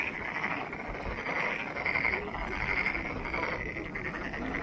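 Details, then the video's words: Frogs at Monet's Pond in Ulsan National Garden produce a steady, grating chorus of quick repeated croaks, many voices overlapping at an even, fairly high pitch throughout. "울산 국가정원 모네의 연못 개구리 소리"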